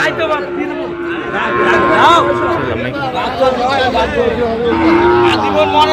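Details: Sahiwal bull calves at a cattle market in Brahmanbaria, Bangladesh, on 19 December 2025. Drawn-out low mooing with layered harmonic tones rises above steady market chatter and people's voices.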